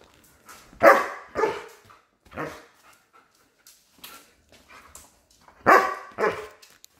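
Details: German Shepherd, a pet female recovering from illness, giving short loud barks in two pairs, around one and six seconds, with quieter huffs between and faint household background.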